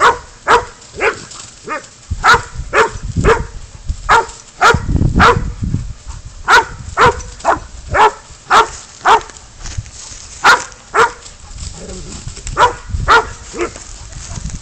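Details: Spud, a dog baying up a goat that is caught and released, barks sharply and persistently, close to two barks a second with short breaks, over soft low background noise.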